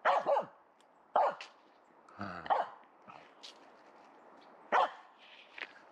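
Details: Sparse barking from Aamu, a Finnish Spitz in a protective cone after a right leg operation, chasing squirrels in a local forest: a few sharp barks with long gaps, one double bark at the start, and a low rumble in between.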